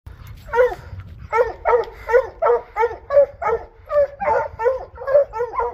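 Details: A hound bays repeatedly in short, ringing bursts, several per second, while trailing a mountain lion on a dirt track in the Rocky Mountains of Utah during a hunt.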